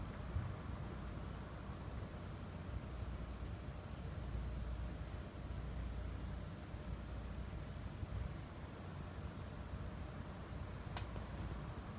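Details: Only a steady low hum of background noise is heard, like a distant vehicle, with a single sharp click near the end and no animal sounds.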